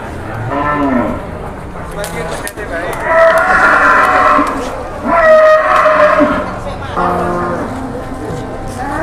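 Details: Jumbo cattle at Boyolali's Jelok livestock market, Indonesia, one morning: loud, long moos in three strong bouts, rich harmonic calls rising and falling, over a murmur of market noise.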